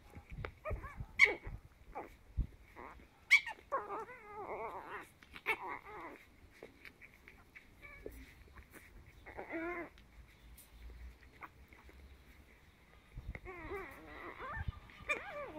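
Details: Ten-week-old Chihuahua puppies at play give clusters of wavering, whiny growls and short yelps, with quiet gaps between them and a steady hiss underneath.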